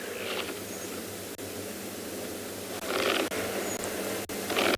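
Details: Waterbuck in a South African private game reserve on a morning safari, 5 June 2021, give short, breathy alarm snorts, impala-like, a few seconds apart while standing their ground against lions; faint bird whistles behind.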